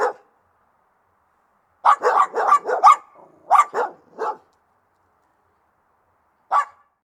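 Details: Aggressive Rottweiler barking: a rapid burst of about five harsh barks, then a pause and three more, with a single bark near the end, over an otherwise quiet background.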